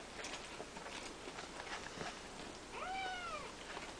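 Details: A single high, arched mew near the end from three-week-old Siamese kittens kept in a play-pen with their mother and grandfather, preceded by soft scuffling and pattering indoors.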